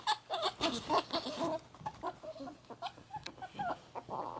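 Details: Pet ferret Ann, a sable, gives a happy clucking 'kukuku' while wrestling cinnamon ferret Kohaku after a bath; quick choppy clucks run in rapid uneven bursts, fading into quieter scattered clucks.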